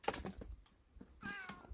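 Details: Domestic mountain-village cat meows after grandma says it should help with her firewood-chopping work, and she takes the reply as "no"; clicks and knocks come first, then a short, bright meow near the end.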